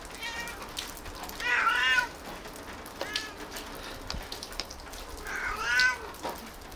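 A tabby cat gives drawn-out, chatty meows, with softer mews in between.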